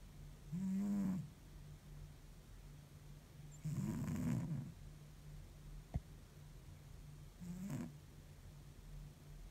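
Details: Deeply sleeping domestic cat after a tiring week, snoring in low, raspy breaths: a short snore, a longer rough one, then a fainter third, plus one sharp click in between and a steady background hum.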